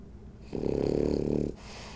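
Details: Sleeping French Bulldog Rolly gives a single loud, rasping snore lasting about a second, a rough vibrating rattle rising out of quiet room breathing and stopping abruptly.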